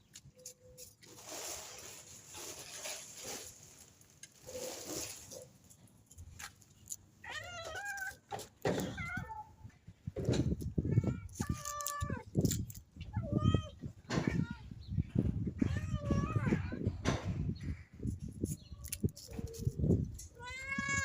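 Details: Newborn kittens' stray mother begging for food; after several seconds of low rumbling handling noise, a run of short, sharp meows repeats every second or so over continuing thumps and background rumble.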